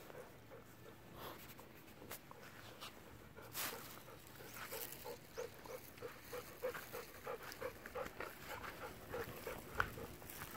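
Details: Golden Retriever on a walk of over three hours near home with Kohaku and Ibuki, going to see a panda; rapid rhythmic panting gasps, quiet at first and then clear and regular, mixed with brief rustles and light outdoor noise.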